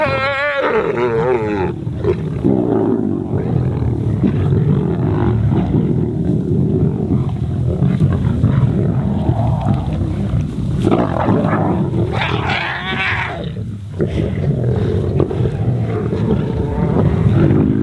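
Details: Feeding lions of the Kambula Pride fight over a stolen impala carcass on grassland, lashing out for a fair share; deep throaty growls rumble without pause, broken by harsher, higher snarls near the start and again around twelve seconds.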